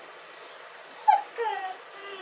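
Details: Whining dog cry: a thin high squeal, then a sharp yelp at one second sliding down into a drawn-out falling whimper with layered harmonics, fading into soft background hiss.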